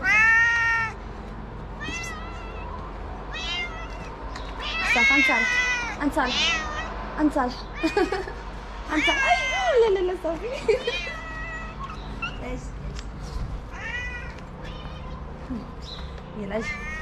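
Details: Kitten at a small shelter in Morocco, playful and slapping a hand, giving repeated loud harmonic meows, some long and wavering, others short and rising, over a steady low hum with occasional human voice.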